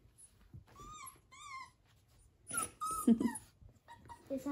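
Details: Six-week-old cockapoo puppies whine in thin, high, wavering tones, likened to a teddy bear, with a person talking over them.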